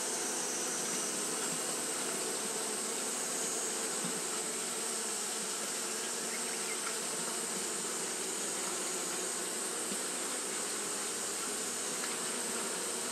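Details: A hot day keeps Japanese honey bees fanning nonstop: a loud, even, unbroken buzzing drone of the colony with a hissing high band over it, with no pauses throughout.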